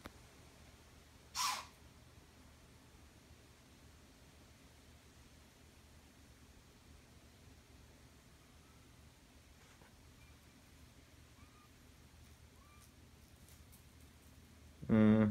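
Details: A mother deer caring for her fawn in a yard gives a single harsh, explosive bark like a loud sneeze at kittens, in otherwise quiet surroundings.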